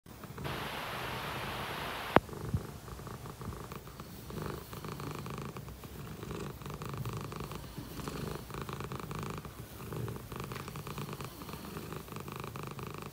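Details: A happy Dragon Li shorthair cat purrs steadily indoors, a low rhythmic rumbling pulse with a short burst of hiss-like noise and a sharp knock near the start.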